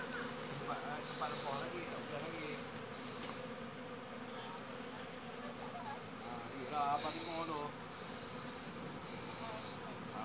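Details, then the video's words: Continuous buzzing of honey bees, a thick steady hum with brief faint chirps and a short louder swell near the middle. "Successful Honey Bees"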